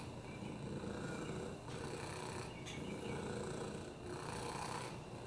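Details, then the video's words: Oliver, a domestic rescue cat with a broken hip, upper respiratory infections and FIV, purring on a lap: a steady low rumbling buzz with faint breathy swells, no other sounds. "Oliver the Purr-ing Lap Cat"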